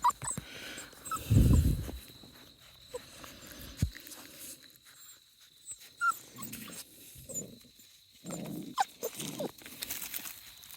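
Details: Australian Shepherd x Border Collie puppies at 5.5 weeks old, a litter including twins: low grunting and short whimpering bursts from the pups, with handling noises and a woman's voice talking to them between the sounds.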